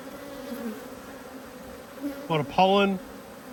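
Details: Two honey bee hives, irritated by being inspected, produce an even two-toned hum; a short human voice breaks in near the end.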